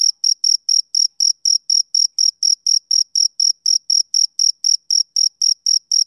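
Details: Male cricket chirping rhythmically on a summer evening, short bright high tones repeated around four times each second, very regular, no other animals or noise heard.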